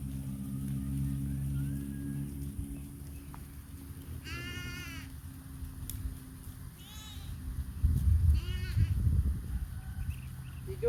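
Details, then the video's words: Goats and sheep at a roadside in India: three short, faint bleats spaced a couple of seconds apart over low rumbling background noise. "the echoing sound of goats and sheep on the side of the road"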